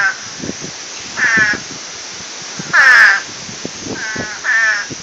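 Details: Frogs going wild before Hurricane Irene: four separate raspy, harmonic croaks, each roughly a third of a second long, spaced one to one and a half seconds apart, over soft low clicking and ticking in the background.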